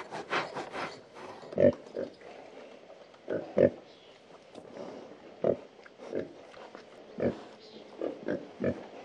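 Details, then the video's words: Farm pigs scratching and grunting. Short, throaty grunts repeat every one to two seconds at an uneven rhythm, a few louder and deeper than the rest, over a soft rustling background. "Pigs (Scratch and Grunt)"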